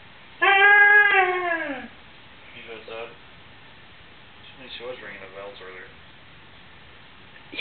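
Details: Luna, a pet dog who lets her family know when she is bored, hungry or thirsty, here pestering her dad indoors: one long, drawn-out tonal whine that sags in pitch at its end, followed by quiet human talk.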